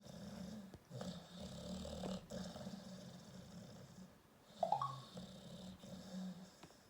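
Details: American Staffordshire Terrier snoring with its eyes open; soft, low rasping snores rise and fall in slow breathing cycles, with one brief higher squeak midway over a steady background hum.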